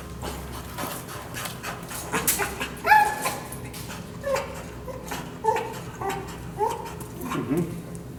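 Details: Dog showing kennel anxiety during prong-collar training gives a series of brief, thin, high whimpers about once every second or so, mixed with clattering, scraping and shuffling noises.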